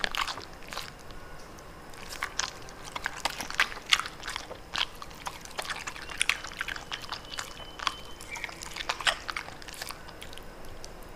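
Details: Pembroke Welsh Corgi eating cabbage indoors, giving a steady run of crisp, crunchy bites and wet chewing clicks, dense and irregular throughout, with no other sounds.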